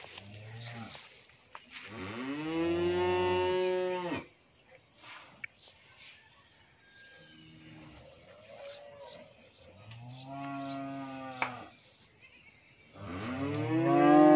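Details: An 11-month-old Australian bull calf at a dairy farm in Bhangura, Pabna, Bangladesh, lows repeatedly. There are three long, rich, droning moos of about two seconds each, with quiet shuffling and faint knocks in the gaps.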